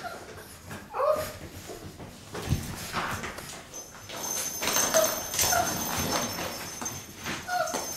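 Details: Playing Boxer puppies aged six weeks. Brief high squeaks and whimpers pop out at intervals over continuous tumbling, pawing and scuffling sounds in a small room.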